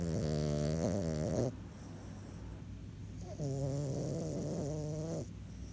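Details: French Bulldog asleep, snoring in two long harmonic rasping breaths, each about one and a half to two seconds, separated by a quieter pause; the tone wavers slightly and carries a high hiss above, with no other clear sounds.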